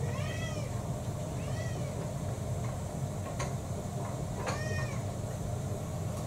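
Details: Mixed-breed house cats around mealtime indoors: three brief arched meows, two early and one near the end, separated by quiet stretches with a few sharp clicks over a steady low hum.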